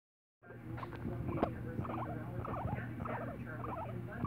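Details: Pet guinea pig sitting on a person's shoulder, starting after a moment of silence with a quick run of short soft chirps and squeaks over a low steady hum.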